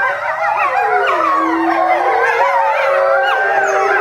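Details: Eastern timber wolf (Canis lupus lycaon) family of eight, parents and young, at a zoo in July 2011, howl together in a chorus of long, rising and falling, overlapping voices; one young wolf ends with yapping barks.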